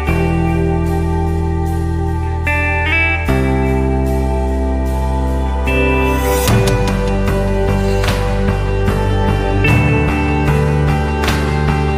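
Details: Loud guitar music with slide-guitar chords and a steady beat plays throughout.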